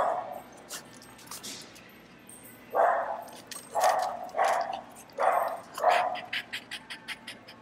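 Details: Barking dogs in a PetSmart pet store, heard while a French Bulldog reacts; after a quiet start, a run of short, sharp barks repeats roughly twice a second over low store background noise.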